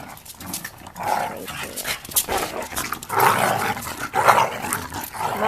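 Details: Black pug Pchan roughhousing indoors with his best friend Mozzie, a Shiba Inu, during play: rough, throaty growls and short barky bursts come in irregular clusters about once a second, mixed with scuffling and rustling of the two playing dogs.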